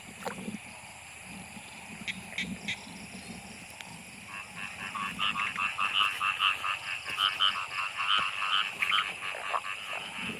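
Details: Narrow-mouthed frogs in heavy rain, gathered by torchlight for cooking; a low murmuring chorus gives way midway to brighter, rapid croaks repeating several times a second, with steady hiss throughout.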